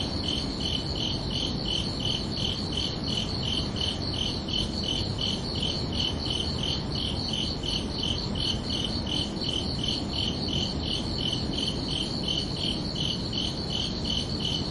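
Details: Crickets chirping under a night sky on a summer evening, a steady stream of high, evenly spaced chirps, roughly three per second, with two bands of pitch layered together over a constant low rumbling background hiss.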